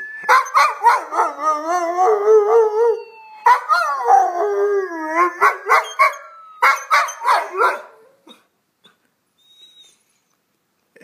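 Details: Mr. Thurgood, a Schnauzer, howls in response to a siren, which he dislikes. A rapid run of short, wavering howl-yips in three clusters, each pulse bending up and down, before the sound stops and near silence follows.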